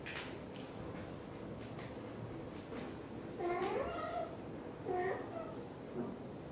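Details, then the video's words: Blue golden British Shorthair mother cat talking nonstop while grooming her tiny kitten indoors: soft licking and rustling first, then short rising-falling chirpy meows in bursts near the middle and end, each a few tenths of a second. "Mother cat is talking nonstop and grooming her tiny kitten"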